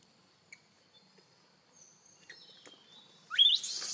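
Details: Hungry newborn macaque from a Siem Reap Province troop, kept long from its mother, gives a loud, harsh upward-sweeping scream after near-quiet with faint ticks and thin high tones.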